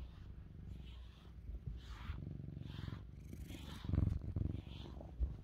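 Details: Lynx point Siamese cat purring very loudly while being brushed, also trying to bite the brush; a steady low rumbling purr with soft brushing strokes and a few louder thumps near the end.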